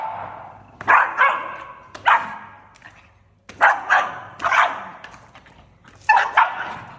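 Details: Angry pug barking in sharp, harmonic bursts, single and doubled barks clustered in four bouts spaced one to two seconds apart, over a faint low steady hum.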